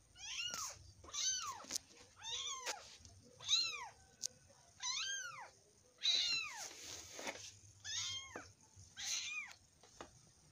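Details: Domestic cat giving a long series of arched, harmonic-rich meows, about eight calls spaced roughly one to one and a half seconds apart, each rising then falling, over a quiet background with faint clicks.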